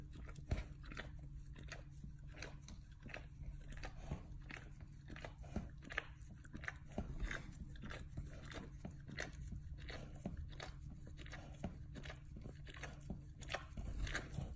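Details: Dog chewing and licking at its own rear end with gusto, recorded close up: dense, irregular wet clicks and crunchy bites, several per second, over a steady low hum.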